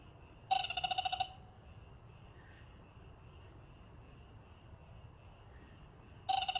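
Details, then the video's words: Black-spotted pond frog males raise a powerful chorus. A bright pulsed trill of under a second rings out, then a long pause filled by a steady high drone before another trill starts. "참개구리의 떼창 클라쓰 (웃음 나오는 참개구리 예능+다큐 우렁찬 울음소리 주의)"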